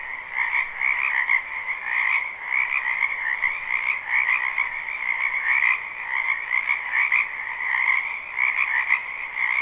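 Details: Many frogs croaking in a wetland behind a house in spring, live recording: a dense, unbroken chorus of overlapping trilled croaks in two pitch layers, a middle and a higher band, gently pulsing in loudness throughout.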